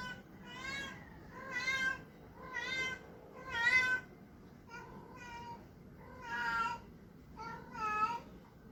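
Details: Male Persian cat, indoors, calling while trying to find a mate: seven drawn-out, wavering meows with rich harmonics, each lasting about half a second to a second, repeated roughly once a second, strange and yowling in tone.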